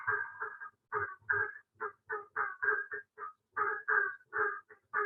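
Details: Barking tree frogs at a fishless ephemeral wetland in the Bladen Lakes region of North Carolina give hollow, dog-like barks in quick succession, several callers overlapping, with cricket frogs in the background.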